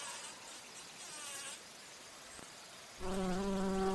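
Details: Bumblebee flying among flowers while feeding on nectar; a faint high hiss at first, then in the last second a loud, steady, low buzz with a clear hum sets in abruptly.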